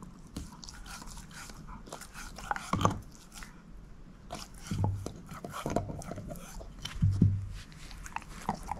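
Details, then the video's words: Shepherd mix dog named Moose eating a bone indoors: steady wet gnawing broken by louder crunching bites around the third, fifth and seventh seconds, no talking. "SHEPHERD EATING BONE ASMR"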